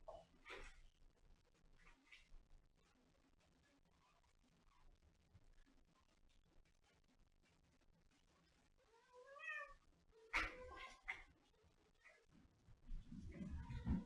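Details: A domestic cat gives a pair of drawn-out, tonal meows about two-thirds through, the first rising then falling, the second a harsher follow-up, set among soft rustling and handling noises, with a low shuffling rumble at the end.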